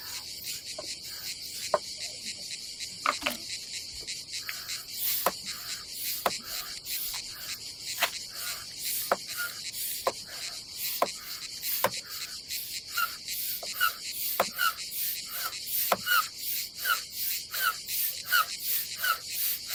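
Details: Cicadas on a summer day at a seaside campsite on the Adriatic coast of Croatia, a steady high hissing buzz running without pause, overlaid by frequent sharp clicks, taps and rustling from nearby activity.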